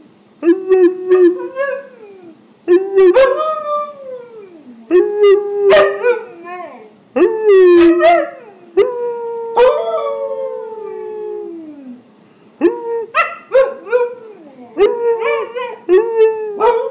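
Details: Pet husky Buckles, indoors, vocalizing to his owner about his day: a continuous run of expressive howls and yodel-like whines, some rising then falling, one long slide downward near ten seconds, with brief pauses between phrases.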